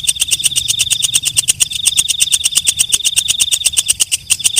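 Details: Walang kecek, or night grasshopper, at night: an even train of dry, high ticks near three per second, backed by a constant thin piercing tone.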